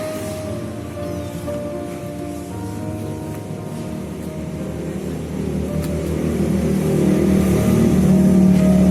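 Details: Steady background music with the rumble of passing vehicles that swells louder toward the end, no animal voice standing out.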